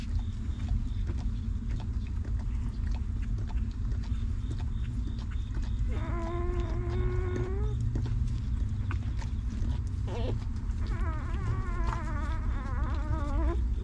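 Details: Newborn puppies of a stray mother dog, cared for and fed by her, giving two drawn-out, tonal whimpers, the first steady and the second wavering, over a heavy, constant low rumble.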